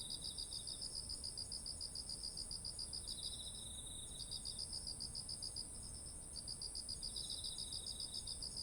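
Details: Rice fields heavy with grain in autumn, insect voices captured with a ZOOM H1essential: quick pulsed chirps in repeated bursts broken by brief pauses, a steady shrill background trill and a softer alternating caller.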